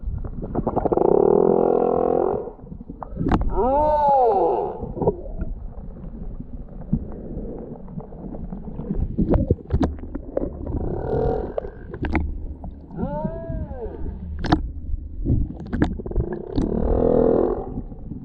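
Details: Large male humpback whale, come to find a mate while circling the Tonga Islands, singing: drawn-out tonal moans and arching harmonic upsweeps and downsweeps in phrases, with repeated units returning every few seconds over a low rumbling background.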